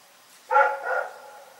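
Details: Rex the dog barking in the night: a single short, harsh bark with a brief trailing tail, then quiet.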